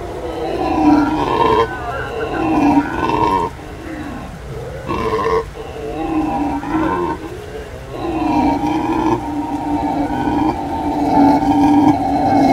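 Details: Chorus of howler monkeys in full howl, deep rough roaring that swells and fades in bouts of one to three seconds, overlapping voices rising into long drawn-out waves toward the end.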